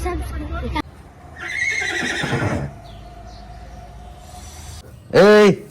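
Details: Horse whinnying: a shaky, descending neigh with bright harmonics lasting about a second, followed later by a loud, brief arched harmonic call. A man talks in the background, and there are camera handling sounds.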